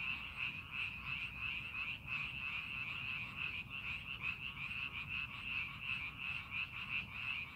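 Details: In paddy fields prepared for planting, a frog chorus keeps up a bright, continuous trilling with quick rhythmic pulses, the loudness swelling and dipping slightly as callers overlap.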